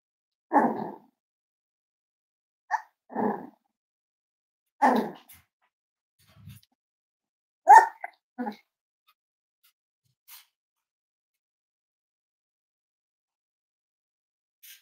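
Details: Five-week-old Cavalier King Charles Spaniel puppies of Myra and Remy indoors at a kennel livestream; a handful of short, sharp yips and small barks come in uneven bursts over about nine seconds, then near silence with a faint click or two.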